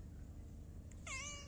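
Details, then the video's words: A pet cat's brief meow arrives near the end after quiet hum, a short falling whine with bright overtones. "My meow meow"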